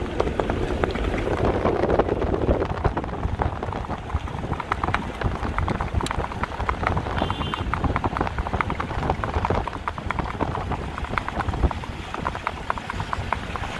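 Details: Horse moving in the rewal chal gait at a Kutch horse race in India, its hoofbeats the focus: a dense, rapid, steady drumming of footfalls throughout, with crowd applause and cheering mixed in.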